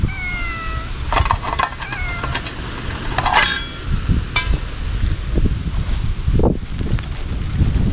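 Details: Outdoor feeding of wary sakura stray cats with Kalkan and Churu in a Laputa-like spot; a downward-sliding meow opens, a brief second cry follows, then chewing-like clicks, knocks and steady low rumble.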